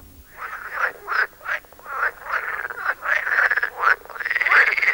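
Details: Several pool frogs competing for sound space, giving territorial calls interspersed with song: a run of short rasping croaks, uneven in spacing and loudness, building into a longer continuous rasp at the end.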